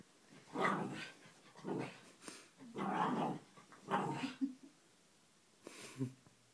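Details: Pet dog playing rough with a chew toy indoors, giving a run of short, rough growling bursts about once a second, with a few sharper yips near the end.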